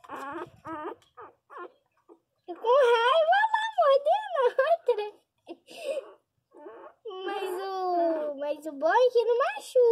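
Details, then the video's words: Small Pinscher dog crying loudly: drawn-out wavering whines and wails that slide up and down, broken by short yelps, with people talking over and between the cries in a room. "Cachorrinho pinscher chorando alto"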